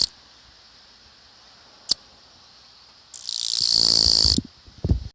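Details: Japanese katydid singing in a newly developed residential district in the Tōkai region of Japan, unafraid and still calling as the camera came close. Sharp single ticks, then one loud, harsh buzzing trill lasting over a second, over a faint steady high hum.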